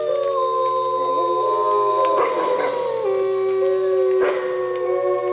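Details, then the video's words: Several wolves of the Bays Mountain Park pack howl together in the rain, holding long, smooth, level tones at different pitches, with brief rough yelping breaks around the middle and near the end. "Wolf Pack Chorus Howl"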